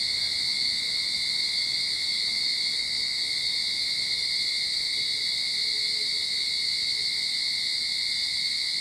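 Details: Start-of-summer cicada song in a Sydney backyard, a steady wall of high buzzing and ringing tone without breaks; a faint low hum, perhaps a distant engine, passes softly midway.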